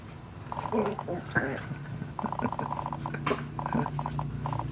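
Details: West Highland White Terrier mother with her 6-week-old puppies, teaching them; short, high, nasal whining yelps in quick bursts, with a sharp rustle or bump partway through.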